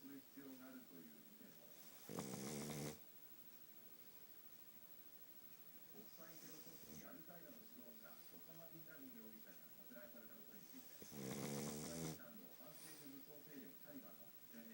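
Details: Futa the pug, just sleeping, snores loudly because of his flat nose: two strong, buzzy snores roughly nine seconds apart, with steady quieter rattling breaths in between.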